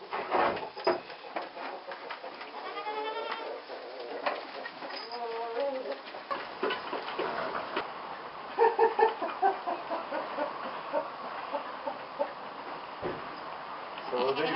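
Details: Goat kids in a barn on their first visit, being moved into a stall; occasional short wavering bleats stand out amid constant clattering, bumping and rustling, with a few brief sharp calls near the middle.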